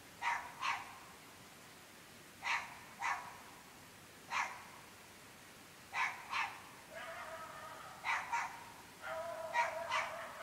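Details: Dogs barking incessantly at 11.30 pm in an extremely remote rural area of the UK: sharp single and double barks every one to two seconds, some drawn into a longer whining bark near the end, over a quiet night background.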